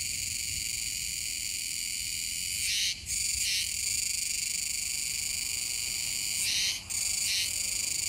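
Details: Kuroiwa's cicadas singing together near the Kōme River mouth, Tanegashima, September 2022; an unbroken high metallic buzz with paired louder pulses around three and seven seconds, each separated by a short dip.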